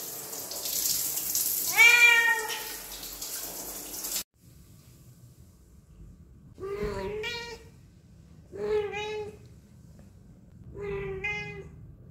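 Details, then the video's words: A domestic cat that keeps meowing whenever people are near gives four clear, harmonic meows, one early over a hissing background like running water, then three more spaced about two seconds apart in a quiet room. "Cat voice | Cat sound | Suara kucing | Kucing yang senang mengeong meow meow."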